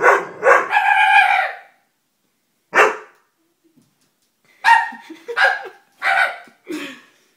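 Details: Dobermann letting out a couple of quick barks followed by a longer strained, whining bark, a lone bark after a pause, then a tight volley of four sharp barks.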